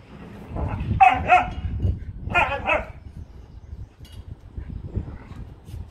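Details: Playing dogs give two quick pairs of bright barks over a low rumble of movement and scuffling, then quieter shuffling and a faint bark near the end.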